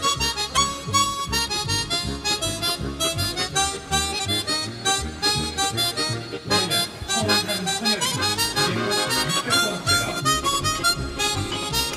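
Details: Lively harmonica music with steady rhythmic accompaniment plays throughout; no animal sounds are heard.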